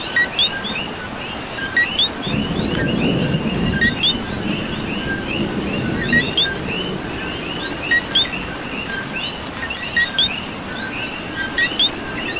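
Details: Chorus of coqui frogs in rain, Puerto Rico: crisp rising two-note calls from numerous frogs, steady and overlapping, with a swell of heavier rain patter in the middle seconds.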